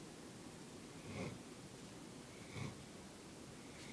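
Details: Molly, a young Bloodhound puppy, snores loudly in her sleep like a little freight train, a soft, rough, breathy rasp returning about every one and a half seconds.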